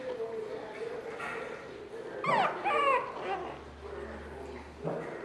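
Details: Shih Tzu puppies from a chocolate litter born in June 2013, playing: a brief burst of high, bending yips and whimpers around the middle, over Portuguese speech and soft background music.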